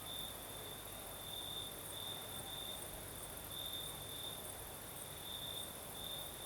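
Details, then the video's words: Crimean crickets singing through the night with a breeze: a thin, high trill rising and falling in pulsed groups, layered over a steady sizzling insect background and soft wind-like noise. "Звук ночи. Юг. Крым. Сверчки поют."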